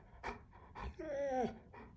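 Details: Pet Labrador Retriever on a diet, indoors after midnight, vocally asking for food: short soft grunts, then a drawn-out wavering whine that slides downward, followed by quieter huffs.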